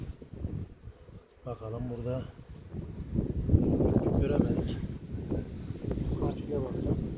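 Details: Honey bees at a hive in a Ceyhan village during a queen check after honey harvest: a dense, low, rough buzzing that swells after a brief burst of human speech, with scattered handling noises.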